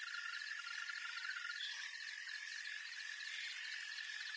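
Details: Green toad calling outdoors as a long, steady trill that runs unbroken through the whole stretch, with a faint rapid pulsing higher up and a dense hiss of insect-like noise behind it.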